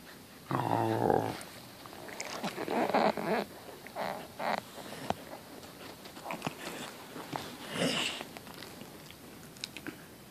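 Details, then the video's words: Lexi, a female Samoyed, asks her owners to go outside to relieve herself, filmed close up; short barks and drawn-out howling, vocal bursts spaced unevenly over ten seconds, with a person's voice nearby. "Lexi the Samoyed tells me she has to go outside"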